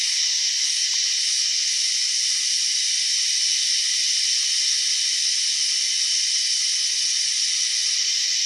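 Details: An odd-sounding cicada drones continuously in a shrill, hiss-like buzz, holding an even pitch and loudness throughout. Its steady rasp almost resembles escaping steam, with no other clear sounds behind it.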